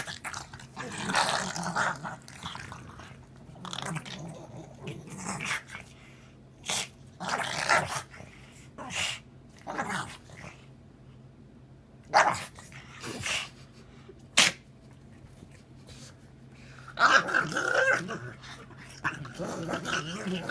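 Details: Goofy pug vocalizing in short broadband snorts and snuffling bursts separated by quiet gaps, with occasional low growls and a whimpering rasp near the end.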